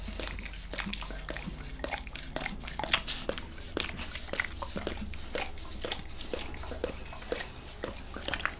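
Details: Wet, sticky lapping from the dog Max as he licks his owner's face indoors: fast irregular tongue clicks and smacks over a steady low-pitched hum, and no talking.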